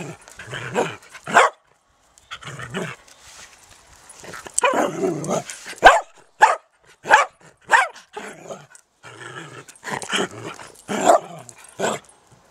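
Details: Dachshund barking at an allotment garden: sharp, yipping barks in quick bursts, some doubled, spaced roughly every second. Brief silences break up the series, with faint rustling in the background.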